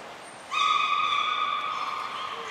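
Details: Captive beluga in training at Port of Nagoya Public Aquarium, all animals participating, 16 March 2024. One long, level, reedy tone with strong overtones starts abruptly and lasts about two seconds, slowly weakening against a steady hiss.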